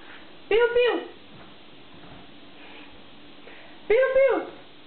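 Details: Dog giving two loud, arched, somewhat howling barks about three and a half seconds apart, with a steady low hum in between.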